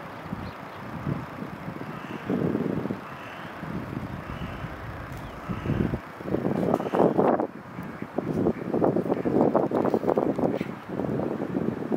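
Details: Gusty wind buffeting the microphone and passing traffic, with no clear animal call.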